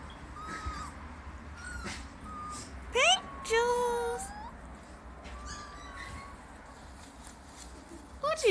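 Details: Pink Jewelz, a white female Siberian husky, talks indoors in a run of rising and falling whiny, yodel-like calls, some short, some drawn out, with a person's voice in between.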